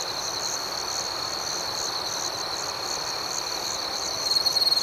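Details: Nighttime cricket chorus in a calm natural setting: a continuous high, ringing drone with soft pulsing chirps layered above. A louder, rapidly pulsed trill rises in the final half-second.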